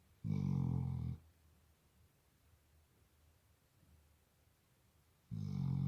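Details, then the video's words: Deep, raspy snoring from a Labrador Retriever indoors: one loud rumbling snore at the start and the onset of the next about five seconds later, quiet breathing room between. "Лабрадор храпит Labrador snores"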